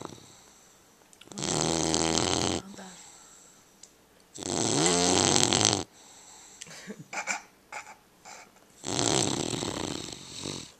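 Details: English Bulldog puppy with a small bandage, snoring indoors: loud broadband rasping snores of about a second and a half each, three long bouts separated by quieter breathing, with a few short snorts in between.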